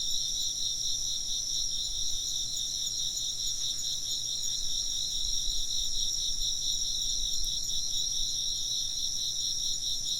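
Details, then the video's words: Steady shrill chirping of many insects, fast pulsed trill beneath high ringing tones, with a few soft low thumps in the middle and a brief faint click near the end. "chirping insects"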